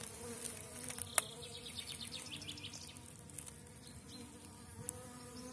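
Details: Honey bees at an apiary during intensive brood rearing, with young bees making orientation flights and workers drinking water; a soft, steady low hum with a faint higher overtone, plus scattered ticks and light rustling.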